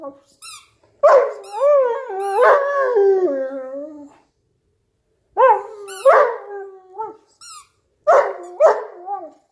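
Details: Newfoundland dog lying on a couch while playing with a squeaky toy, too lazy to stand up; drawn-out wavering howl-like whines and groans in bursts, mixed with high squeaks of the toy, in a quiet indoor room.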